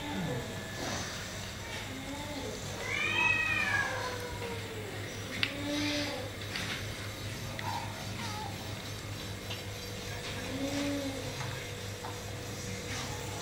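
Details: A kitten disturbed by another cat indoors gives a loud arching meow with rising then falling harmonics, followed by softer short mews, while a person talks and faint music and a steady low hum run underneath.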